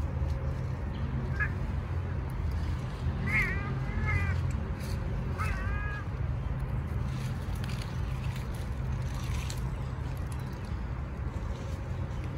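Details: Angry male street cats challenging each other, apparently struggling over territory: three short, wavering, nasal cries between one and six seconds, followed by a steady low outdoor rumble with faint distant sounds and a brief human word.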